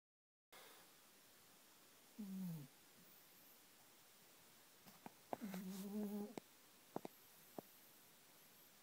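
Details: Pitch, a Pomeranian dog, sound asleep in a favourite bed indoors, snoring. Two tonal, slightly wavering snores, a short one and then a longer one about three seconds later, with faint clicks between them in a quiet room.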